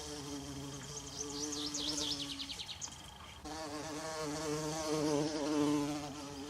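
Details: A bumblebee flying in a forest with wild violas gives a deep, rich buzz that rises and falls in pitch as it moves; quick high chirps and sweeping whistles from a small bird sound over the first half.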